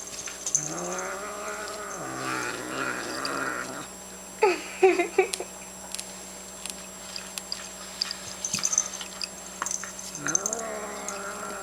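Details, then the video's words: Female domestic cat growling while she chews her food, annoyed because a second cat is bothering her: a long, low, wavering moan-like growl, then crunchy chewing clicks, then a shorter rising growl near the end. "cat growling while eating"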